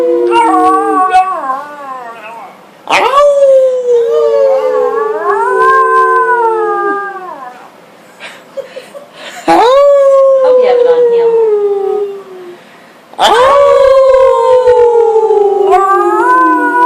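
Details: Pet dog howling together with its family at home, recorded August 2012; several drawn-out, gently falling howls with bending pitch, separated by short pauses, with other voices howling alongside.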